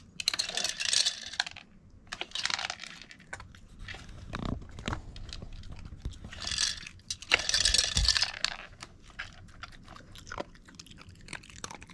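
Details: A treat puzzle toy in a small room gives out hard plastic clattering and rattling in bursts, with crunching of treats and no animal voice.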